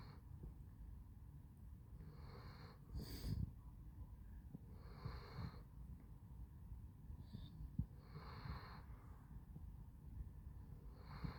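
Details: Basset Hound named Handsome Jack snoring while asleep, breathy wheezing rasps recurring every two to three seconds, with a louder snort near the third second over low room rumble.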